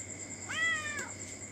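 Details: Orange Thai cat visiting late at night for a meal of mackerel or fried squid with rice gives a single clear meow that rises then falls over about half a second, against a steady insect-like hum and a man's quiet voice.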